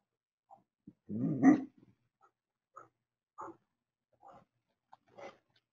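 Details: Anatolian Shepherd livestock guardian dog and Great Pyrenees warding off a coyote at a goat corral; a single loud, deep, rough bark, then several faint, short, scattered sounds over quiet background.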